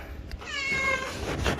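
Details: A tiny stray kitten, hidden in a window gap after a heavy rainstorm before being rescued, gives a single high, drawn-out meow with a slight downward slide.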